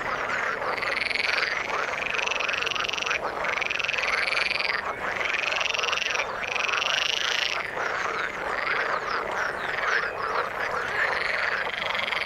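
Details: Frogs in the water sing a loud, pulsing chorus: drawn-out trilled calls of about one to two seconds each, repeated in waves over a background of many fainter croaks.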